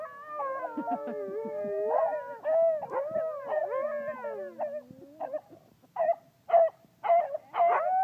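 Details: At a park, a Siberian Husky howls in long, wavering, sliding tones that rise and fall, woven with basset hounds' deeper bays in a loose chorus. Toward the end the howls break into short, repeated baying bursts.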